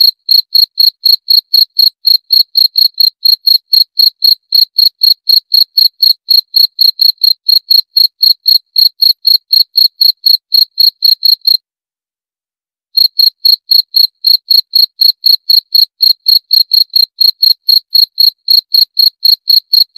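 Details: Rapid, even cricket chirps, roughly four each second, shrill and pure in tone. The chirping breaks off for about a second and a half near the middle, then resumes at the same pace.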